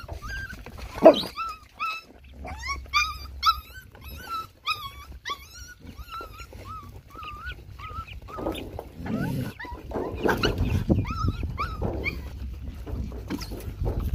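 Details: Hungry puppies and dogs being fed whimper and whine in a rapid series of high, wavering cries, many short rising-falling notes overlapping, followed by chewing, lapping and shuffling noises as they eat.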